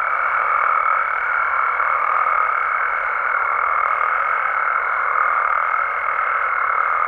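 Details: Nighttime chorus of Mexican frogs and toads in their natural habitat, many callers blending into a constant droning hum with a steady higher pitched whine running above it throughout, no pauses.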